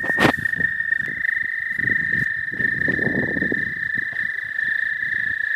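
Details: Suspected American toad calling in spring in the southern half of the state: a steady, high, unbroken musical trill holding one pitch throughout, over low rumbling and crackling background noise, with a sharp click near the start.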